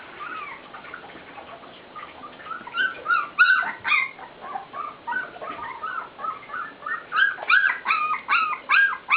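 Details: Several puppies give a steady run of short, high, rising-and-falling whines and yelps, a few each second, growing louder and more insistent toward the end.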